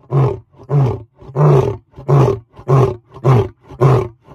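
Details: A lion, recorded very close, gives a run of deep, throaty grunts, each about half a second long, in steady succession.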